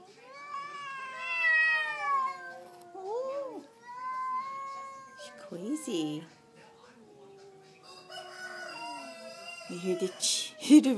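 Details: Neighbourhood cats face off outside a front door in a fight, trading long, wavering harmonic yowls that rise and fall in pitch, with sharp louder cries near the end and roosters faintly in the background.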